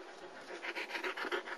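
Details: German Shepherd puppy, one of the girls from a litter born 26 June 2009 at a Florida kennel, recorded 5 November 2009: quick, breathy panting in rapid even puffs, about seven or eight per second, with a quiet room behind.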